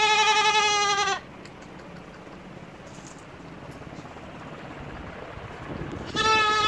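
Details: Goat giving a bleat about a second long at the start, then a long stretch of faint background noise before a second steady, nasal bleat begins near the end.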